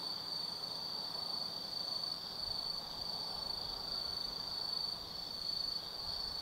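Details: Autumn night at Tsukimi no Mori in Nanno, Kaizu, Japan, with insects of the forest singing: a bright continuous trill plus repeated higher chirping phrases about every half second, soft distant noise underneath.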